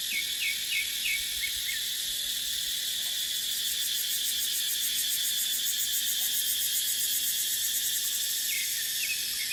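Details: Cicadas in a dry dipterocarp forest during the dry season: a dense, unbroken high-pitched buzzing chorus that fills the clip, with faint short chirps repeated near the start and again near the end.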